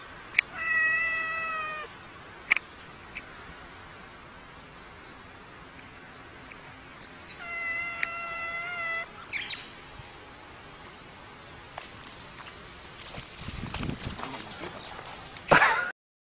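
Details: Domestic cat fighting a snake, giving two drawn-out harmonic meows near the start and middle, each about a second long, with scattered clicks and rustling, then louder scuffling noise toward the end.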